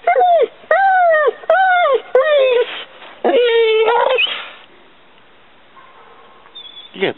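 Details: Mastiff named Maly whining: five short, high, tonal whimpers in quick succession, each falling slightly at the end, then a longer strained, wavering whine, followed by near silence and a brief sharp sound at the close.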